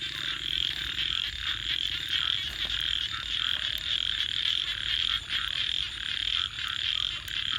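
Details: Frogs at night calling in a thick, high, buzzing chorus of fast repeated pulses, while a campfire crackles and pops underneath.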